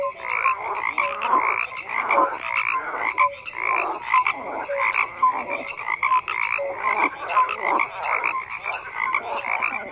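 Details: Frogs croak in a busy chorus, rasping bursts tightly packed and interspersed with brief clear whistled notes, a steady wall of calling.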